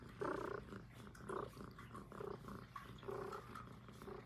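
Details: Purring of Puff, a young female Highland Lynx cat, recorded close: soft rasping pulses roughly every 0.7 to 0.9 seconds, swelling and easing with each breath over a faint low hum.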